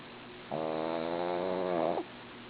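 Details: A sleeping female dog gives one long snore of about one and a half seconds, a steady vibrating nasal buzz with many stacked tones that swells briefly just before stopping, against a quiet indoor background.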